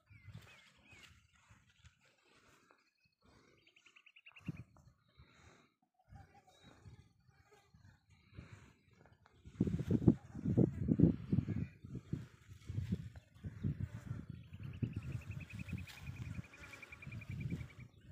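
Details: Camel suffering severe sarcoptic scabies (mange) in Tharparkar: quiet, scattered low sounds at first, then a loud, continuous deep rumbling and gurgling grumble over the second half, with a descending trilled bird call overhead.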